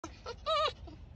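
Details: Pet arctic fox letting out a short, harsh scream of about a quarter second: a nasal, slightly wavering tone rich in overtones, preceded by a few soft brief sounds.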